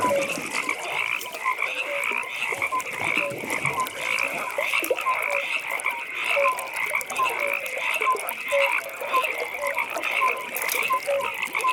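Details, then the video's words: Many frogs calling together at a pond in the evening: a continuous layer of fast, high pulsed trills overlaid with brief tonal notes that repeat roughly every half second. "Frog Pond"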